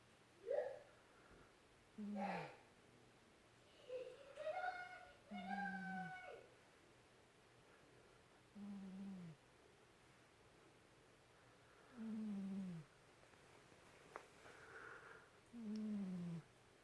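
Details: Domestic cat snoring indoors: low, droning groans that slide downward at the end, returning every three to four seconds with each breath, with faint higher human voice sounds between them.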